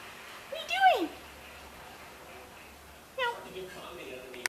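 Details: Indoors, a red Devon Rex perched on a bookcase gives two brief descending meows about two seconds apart, in a quiet small room. Faint human voices are also heard.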